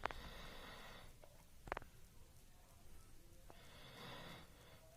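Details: Dog snoring while asleep, a hoarse, whistling breath at the start and another near the end, separated by a sharp click and a quiet stretch of soft room noise.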